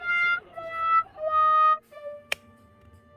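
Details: Steady held instrumental notes, reed-like and in short phrases at a fixed pitch, with a sharp click near the end over a low background murmur.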